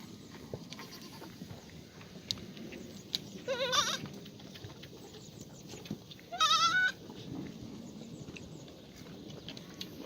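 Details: Farm black goats in Gimhae, South Korea, sunny morning, 1 April 2019, in the goat exercise yard; two short tremulous bleats about three seconds apart against a background of soft clicks and shuffling.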